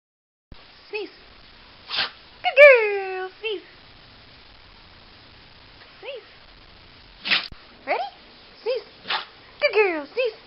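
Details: Pit Bull, a female, sneezing on command indoors: short sharp bursts interleaved with a woman's repeated spoken commands and praise, several rising-falling voiced tones between them, about ten seconds.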